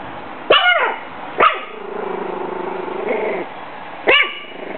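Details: Bailey, a 6-week-old female Pug/Jack Russell mix puppy, guarding her food and water from a bag: three sharp, high puppy barks spaced about a second apart or more, with a low rumbling growl between them.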